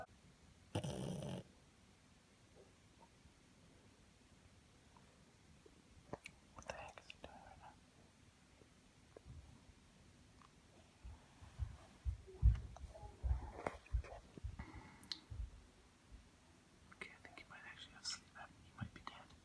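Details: A sleeping pug snores in low, rumbling, uneven bursts measured by an app at up to 96 decibels, with people talking nearby; the owner thinks it then suffered a bout of sleep apnea.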